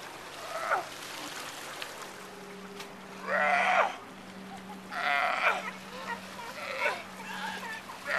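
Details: Sea lions at Monterey Bay by the Breakwater, barking repeatedly in harsh, bleat-like bursts roughly every one to two seconds, over a steady low mechanical hum and lapping water.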